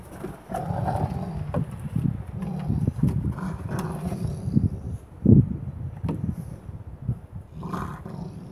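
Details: A 9-month-old male boweiler puppy, playing with a 3-year-old rottweiler holding a stick under his paw, barks in its face: deep, rough barks and growly bursts, with a clear sharp bark near the end.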